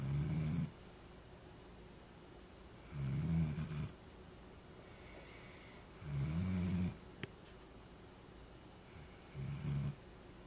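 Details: A Vizsla snores in low, rumbling bursts about every three seconds, with quiet gaps between breaths, recorded on June 5, 2010.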